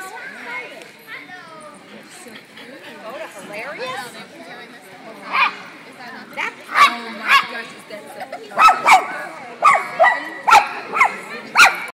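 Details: A dachshund gives sharp, high yappy barks in quick bursts over a murmur of voices during a dachshund playdate, recorded 30 January 2010.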